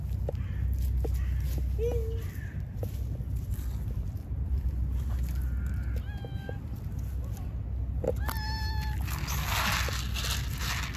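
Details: A stray cat in Istanbul, Turkey, meows for affection while other stray cats eat; a few short, thin meows, with a louder rising meow near the end, over steady low rumbling street noise.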